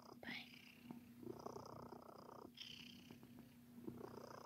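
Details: Sir Titan, a domestic cat, purring indoors while making biscuits by kneading; a soft, breathy rumble swells and fades in phases about every one to two seconds, with a steady low hum beneath.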